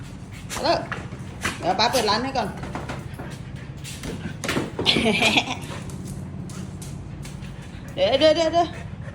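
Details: A Siberian Husky puppy, loose in the morning after her rope snapped, makes wavering, yodel-like vocalizations while her owner scolds her.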